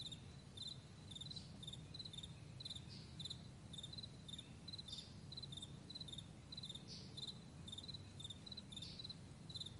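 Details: Morning meadow crickets chirping steadily, each chirp a tight cluster of high pulses, coming about twice a second, with occasional faint upward sweeps and a continuous low background hum.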